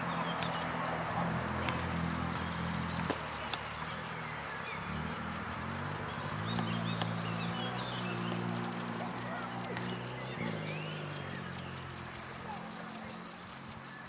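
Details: Cricket calling from the grass: bright, high-pitched chirps pulsing evenly at roughly three to four per second throughout, over a soft low droning hum.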